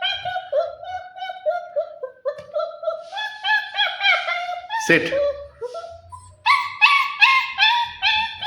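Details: A 40-day-old German Shepherd puppy gives a run of high, whiny whimpers and short yips, some rising and falling, indoors while people talk in Bengali in the background.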